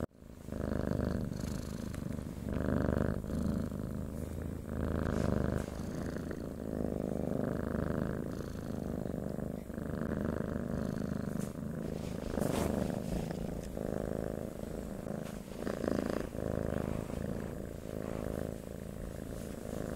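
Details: A domestic cat purrs on and on, a low rumbling drone swelling in regular breath cycles roughly every 1.2 seconds, occasional faint clicks over the steady vibration.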